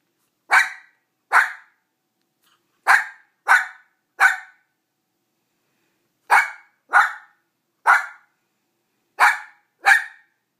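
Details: A dog barking while wanting another dog's rawhide bone: ten short, sharp barks in loose clusters of two or three, with pauses between groups, no other sounds.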